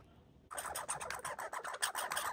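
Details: Red squirrels fighting and boxing, one of them injured, give a short burst of harsh, rapidly pulsed barking. About eight dry, broadband chattering pulses follow a quiet start, in a small enclosed space.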